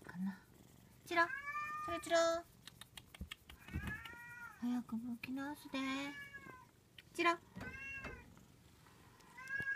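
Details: Indoor Munchkin kitten aged 59 days calling again and again. Some meows are bright and arching, others are short, lower chirps in quick clusters. Quiet pauses separate the bursts, and soft human talk is faintly audible.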